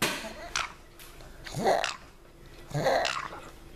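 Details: Binky the pug back from a long walk outdoors, making funny noises: three wet, snorting, gargling bursts about once a second, each a short rough rasp.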